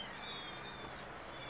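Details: Many kittens screaming together in a chorus of overlapping high, harmonic-rich meows that waver and slide throughout, with no pause between voices.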